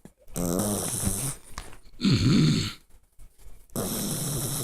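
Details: Puppy copying a man's snoring: low, rattling, throaty snores in bursts about a second long, separated by short pauses, with one breathy wheezing snort in the middle.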